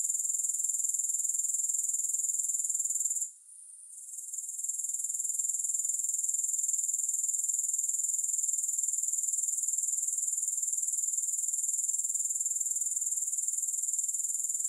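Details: Grasshoppers with no music: a high, steady, shimmering trill pulsing rapidly and evenly, briefly dropping out and fading back in around the third second, then continuing unbroken to the end.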